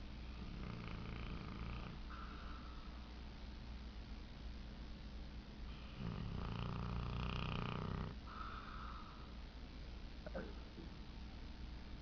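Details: Dozing and dreaming, the dog Tank lets out one strong, rough snore lasting about two seconds, with softer breathing before and after and a low hum underneath.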